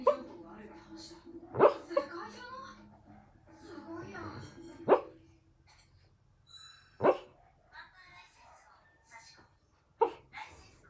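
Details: A female Lhasa Apso barks in her sleep: soft, muffled woofs, single barks spaced a few seconds apart.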